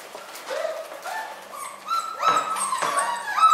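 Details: Newborn miniature schnauzer puppies born on New Year's Day: thin, high squeaky whines rising and wavering, a few short cries building to louder overlapping squeals, with a faint steady low hum underneath.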